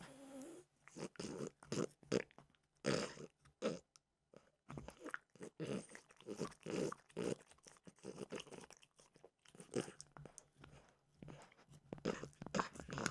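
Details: Close-up snack sounds of Mimosa the French bulldog munching peanut butter flavored treats: steady, rapid crunches and smacking bites that continue almost without pause, indoors and quiet.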